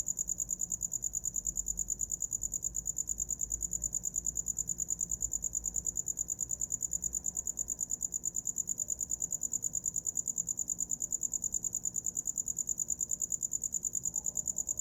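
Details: Continuous shrill cricket song for falling asleep, a fast, regular, metallic pulsing held at one high pitch throughout, with a quiet low murmur underneath and a brief soft mid-pitched sound near the end.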